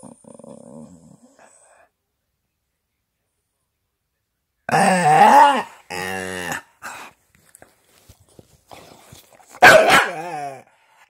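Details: Staffordshire bull terrier chatterbox producing growly, bending grumbles and short yowling vocal bursts after a quiet start with faint murmurs, ending in a sharper, louder outburst.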